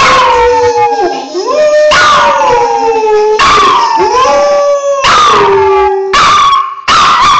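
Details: Pet Briard Molly howling at a specific phone ringtone that no other tone triggers: repeated loud wails that swoop down and rise again, in six bursts across about seven seconds, the last ones short.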